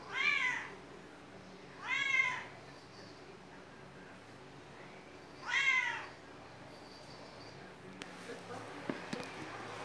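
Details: Cat with a squirrel-like tail meowing; three clear, bright harmonic meows, each arching up then down, spaced about two and four seconds apart, followed by faint rustling and clicks.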